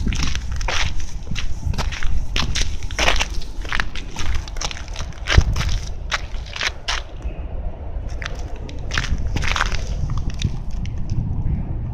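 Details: Steady crunching footsteps on a rough outdoor surface in Amagasaki, Japan, with crackling and a low rumble throughout and no bark or other animal voice.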